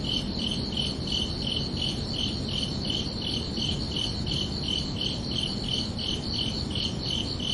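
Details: Crickets chirping under a night sky on a summer evening: steady high-pitched chirps repeated about three times a second, evenly spaced, over a constant low rumbling background hiss.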